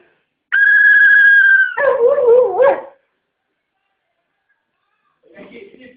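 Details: Siberian Husky, apparently annoyed by a noise, gives a long, steady high howl, then a lower, wavering, yodel-like grumble.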